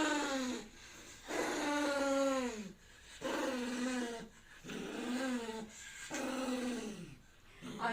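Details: Pet poodle vocalising as if calling its nanny for help: five long, moaning yowls with a rising then falling pitch, repeated roughly every one and a half seconds, a person's voice and faint background music between them.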